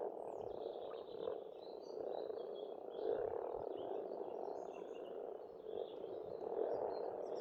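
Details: Spring frog chorus from a farm pond in Estonia, many animals calling at once in a steady, rolling drone that swells and eases, while soft distant birdsong drifts overhead.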